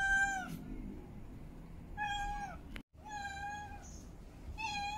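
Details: Female domestic cat in heat calling to mate: several loud, drawn-out meows with rich harmonics, each about half a second long. They come in bursts separated by short pauses, in a quiet small room.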